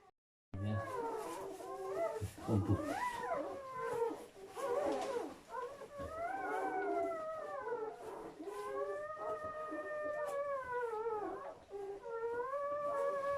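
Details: German Shepherd dog during labour and delivery of seven puppies, heard indoors: a run of arching, howl-like whines that swoop up and fall, some held with a wavering tone, interspersed with brief low thumps and rustling.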